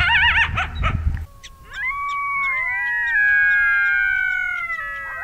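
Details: Coyote howling: a short burst of wavering yips and barks, then a long sustained howl with several overlapping voices, rising and then slowly falling, holding for about four seconds.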